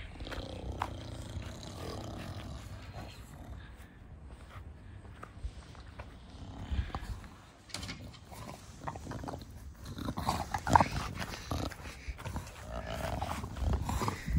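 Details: Pet bulldog relaxing and being cuddled in a garden with its owner, breathing in low, rough, snorting huffs that rise and fall through the clip with louder bursts near the end, and a few soft spoken words.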